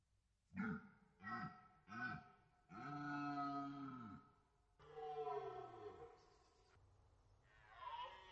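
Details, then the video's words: Red deer roaring during the rut, archival recording from the Orzysz military training ground in Poland: a run of deep, harmonic groaning bellows, first three short ones, then two long drawn-out roars that sag in pitch at the end. "Archiwalne rykowisko na poligonie Orzysz"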